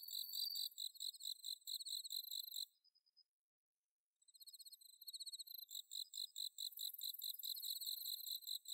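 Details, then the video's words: Autumn-night chorus of bell crickets from paddy fields at Inba-numa in Chiba, Japan: rapid, tinkling pulsed chirps repeated in dense runs, a brief silence midway, then the ringing chirps resume and thicken. "秋の虫の鳴き声 スズムシ コオロギの鳴き声"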